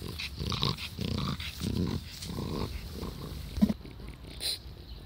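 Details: Taro, an old French Bulldog aged twelve, recorded 16 July 2016, snuffling and grunting in low throaty bursts about twice a second, rough and growl-like, ending with a sharp click and a brief higher noise.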